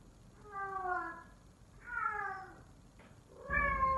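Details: Three drawn-out descending calls from Sittingpretty Solmonath, a male F4 silver Savannah cat said to call like a lion. Each is a harmonic, falling wail about a second long, with a brief click before the last.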